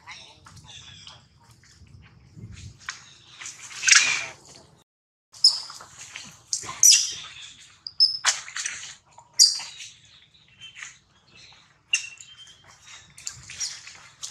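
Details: Baby monkeys of one troop meeting a snake under a big tree and reacting in surprise: sharp, high, squeaky bursts and shrill chirps come in irregular volleys, with faint low rustling early on.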